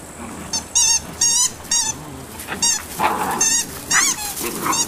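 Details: A litter of eight-week-old Malinois puppies gives a string of short, high, squeaky yips and whiny calls. The calls come in quick bursts about every half second, some rising and wavering, and the pups call over one another.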